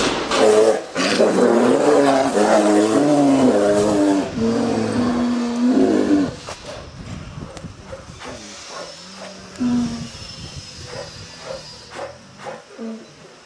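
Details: Captive polar bears Denali, a 16-year-old male, and Lara, a 15-year-old female, held in an indoor cage during door repairs at Sapporo Maruyama Zoo, Japan, 15 March 2010; startled by a closing door, Lara gives loud harsh barking calls for six seconds, then quieter sounds.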